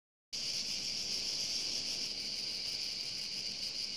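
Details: Insects calling in a steady, continuous high-pitched buzzing trill that starts after a brief silence and holds an even level throughout, with no other clear sounds.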